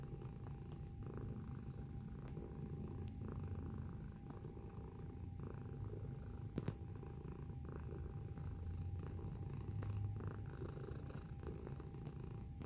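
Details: Cat recorded close up while purring: a steady low vibrating drone with regular breath-paced swells, a single brief click near the middle, and a faint steady high-pitched whine behind it.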